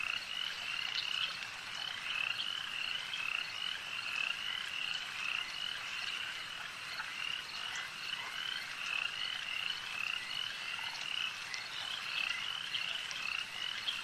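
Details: A long stretch of lake frogs in full chorus: countless short grating notes run together into an even, buzzing background, punctuated now and then by a louder snapping call.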